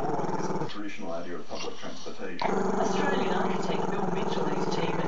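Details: Maltese-Shih Tzu pup growling because he dislikes the camera; a sustained, rough, low throaty rumble that shifts in tone partway through and then holds steady.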